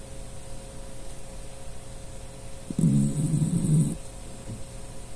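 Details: Dachshund Puchi asleep and snoring: a single low, rough snore of about one second, with a soft snuffle just after in a quiet room.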